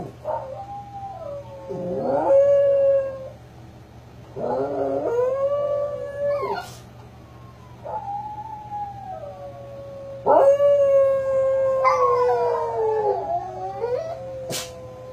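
A dog howls in long, wavering tones that swoop up and then hold steady.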